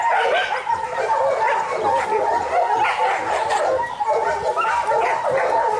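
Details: Kishu dogs, young ones among them, take part in boar-dogging training in Japan in 2010 with Joe, Takeshi, Rin, Momo and local dogs. Steady, overlapping baying comes with drawn-out whining notes and sharp barks.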